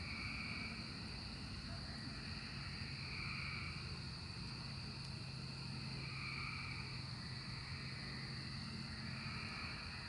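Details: Chorus of emerging cicadas, 2024, heard as repeated buzzy swells rising and falling about every three seconds above a continuous high-pitched drone and a low background hum.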